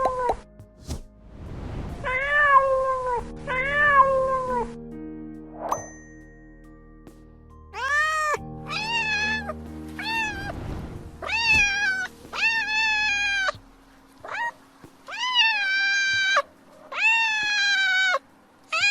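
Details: Domestic cat giving a series of clear, harmonic meows that rise then fall. Some come singly and some in quick runs, with steady musical tones and a bright ding in the background.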